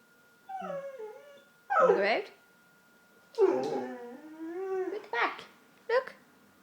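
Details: Pet dog whining and howling indoors: drawn-out wavering, falling whines mixed with a few rough yelps, with a person talking to the dog in between, asking whether it wants dinner or to go out.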